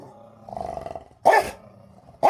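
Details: Rottweiler at home in a fight with another dog, which is hiding under a bed: a low droning growl, then a loud harsh bark, with a second bark cut off at the end.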